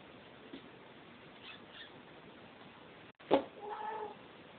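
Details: Maine Coon cat giving a single short, tonal meow near the end, preceded by a sharp click, over a steady low hiss; otherwise quiet.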